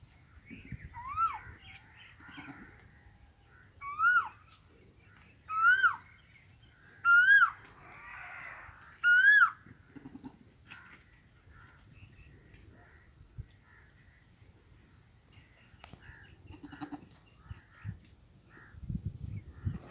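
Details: Goat calling outdoors in a rural setting: five loud, arched, nasal bleats, each rising then falling, spaced about one to two seconds apart in the first ten seconds. Quieter scattered sounds and low rumbling follow.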